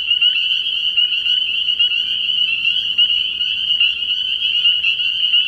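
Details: Spring peepers calling at night from a frog pond early in the year: a dense chorus of shrill, high peeps merging into one continuous ringing band, with short upslurred notes popping out repeatedly.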